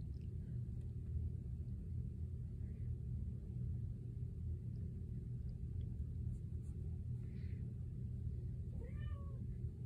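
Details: A male tabby cat, one of four cats, gives a short, rising meow near the end over a steady low household rumble, seemingly disappointed he can't walk on the ceiling.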